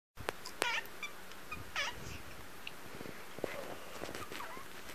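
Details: Somali kitten, seven months old, demanding to play, giving short squeaky broken meows, two clear ones spaced about a second apart and a faint third later, over room hiss and clicks.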